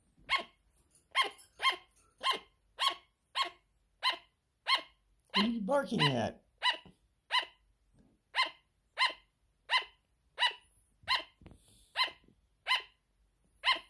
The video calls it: Sugar glider barking.